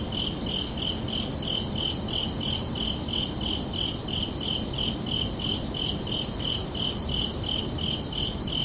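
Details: Night-time cricket chorus on a summer evening, with evenly spaced high chirps pulsing about three times per second throughout, roughly twenty-five pulses, carried over a steady background hiss and low rumble.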